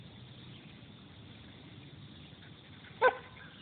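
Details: While playing with a turtle, a Belgian Shepherd lets out one short, clear bark after several seconds of steady outdoor background noise.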